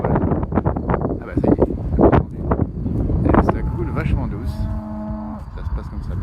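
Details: Dairy cow taking it easy in a herd near Thônes, Aravis, Haute-Savoie, France, in spring: a man talks in French at first, then a long steady moo with a harmonic tone rings out for about a second and a half.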